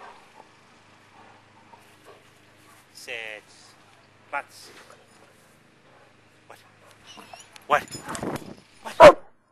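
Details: A dog at play with a ball: quiet stretches with brief voiced sounds, then two loud abrupt barks near the end, amid a person's speech.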